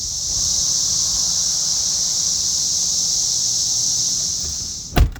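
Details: Cicadas outside on a property in Tennessee drone in a steady, high, hissing chorus that holds without a break.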